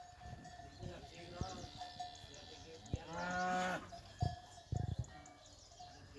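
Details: Cows on a cattle ranch: one long, loud, low moo lasting almost a second midway, over steady clanking cowbells, with faint voices and a few sharp knocks afterward.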